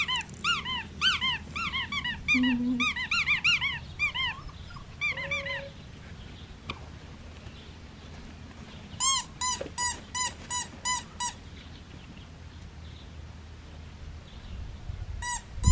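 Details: Red tri female Australian Shepherd puppy, wanting to be held and cuddled, gives bursts of high, squeaky whimpers in quick uneven runs, falls quiet mid-way, then resumes with a second short series over a low steady hum.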